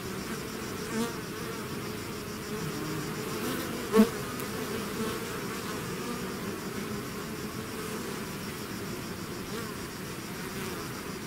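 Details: Honeybee-type swarm pouring out of its hive, a steady dense drone of many wingbeats layered around low and mid pitches, with one brief louder click near the fourth second; no other animals or voices.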